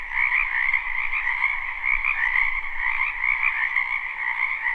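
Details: Many frogs croaking in a spring wetland behind a house, recorded live without looping: a dense, unbroken chorus of overlapping trilled croaks in two steady pitch layers, the upper one brighter, with a faint low rumble underneath.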